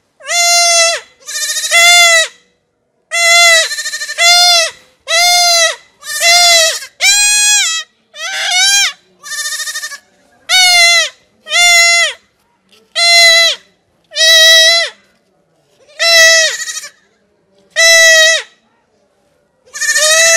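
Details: Goat kid being castrated, crying out in a rapid series of loud, quavering, nasal bleats. About sixteen calls in twenty seconds, each roughly a second long with short gaps, nearly continuous and insistent.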